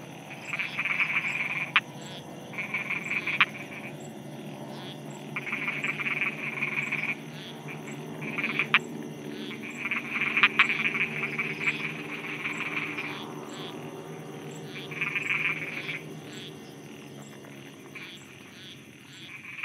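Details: Nighttime frog chorus in Thailand, with several frogs giving rattling, pulsed croak bursts lasting about a second, spaced irregularly, plus sharp clicks and a constant high background drone.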